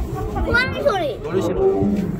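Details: At Seoul Grand Park Zoo in February, Miho, a 2013-born female Siberian tiger, suddenly starts calling while roaming her enclosure, a drawn-out, wavering moan rising and falling in pitch, with visitors talking nearby.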